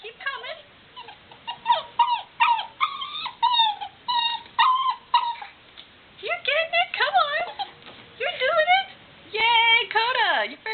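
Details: Black Labrador Retriever puppy, Dakota Bear, female, struggling to get down stairs: rapid string of high, tonal whimpers and whines, short rising and falling yelps in quick succession, with human voices mixed in.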